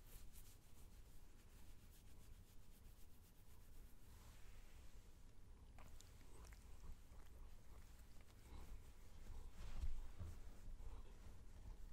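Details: Domestic cat purring while being petted indoors, recorded close to the microphone: a steady, low, continuous rumble throughout, with soft rubbing and handling noises of fur against the mic layered on top.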